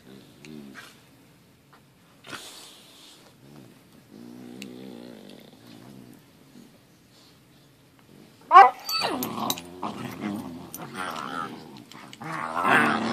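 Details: Lucky, a pet dog, playing with his little brother; soft low growls in short harmonic bursts early on, then a sudden yelp and dense rough growling and snarling scuffle sounds filling the last five seconds.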